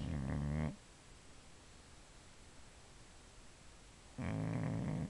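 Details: Sleeping female Boxer, a pet dog, gives two loud, low, rattling snores about three and a half seconds apart, separated by near silence.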